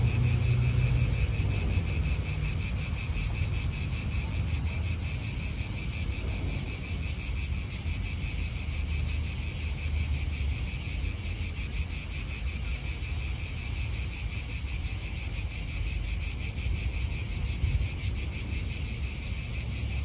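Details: Cicadas sustain a dense high-pitched shrilling throughout, even in level with a faint rapid throb, set in an Italian park with soft wind and distant traffic rumble.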